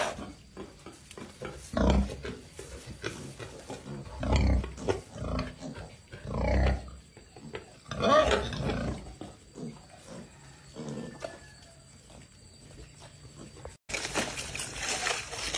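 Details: Wild boar piglets foraging and playing beside their mother in a garden, semi-wild animals fed on grass and bananas; deep, rough grunts come in loud bursts about every two seconds, with softer snuffling between.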